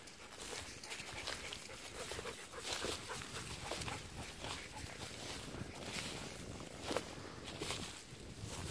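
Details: Golden retrievers Kohaku and Ibuki out in a harvested rice paddy where green shoots regrow from the stubble, rolling about on October 8; breathy, noisy bursts of panting come in quick succession amid rustling and footsteps on the ground.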